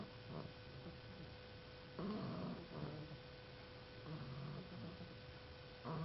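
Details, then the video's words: Snoring dog, heard as rough low rumbling breaths in irregular bursts, longer ones near two and four seconds, over a steady faint electrical hum. "Funny Dog Snoring"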